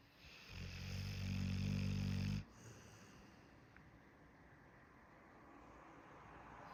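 A Pit Bull gives one low, rumbling snore lasting about two seconds, then goes quiet.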